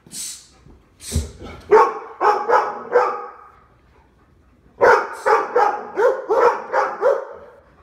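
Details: Yellow Labrador Retrievers Lola, Dale and Max in an Omaha home, barking at the door during a behavior training session for jumping and demanding attention; two bursts of rapid repeated barks, about five each, separated by a quiet pause.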